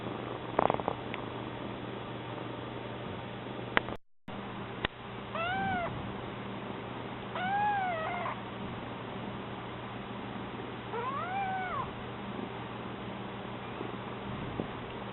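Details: Newly arrived kitten at home giving thin, feeble meows, three arched cries several seconds apart. A second cat purrs throughout as a steady low hum, and a brief dropout and clicks occur near four seconds.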